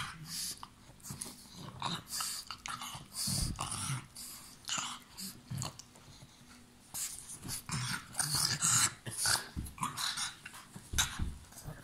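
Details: A pug growling during play time while biting, with rough breathy snarls in irregular bursts, louder stretches around the third and ninth seconds, and short pauses between.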